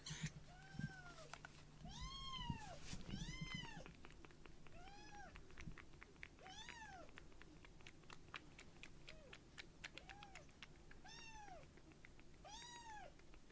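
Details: Rescued baby kitten Uchan, light brown, being foster-fed milk, on a palm after feeding: about eleven high, arched kitten meows in quick irregular succession, some short and some drawn out, over a faint low rumble indoors.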